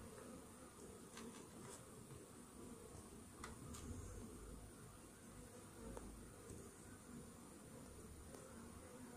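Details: Honey bee colony droning inside a hive after morning treatment for Varroa destructor mites; the low buzzing swells slightly midway and is broken by scattered faint clicks and taps.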